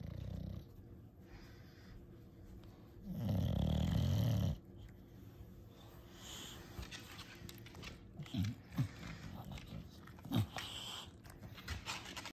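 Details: Bulldog enjoying ear scratches gives a low, rumbling snorting grunt lasting about a second and a half, followed by quieter snuffles and soft clicking sounds.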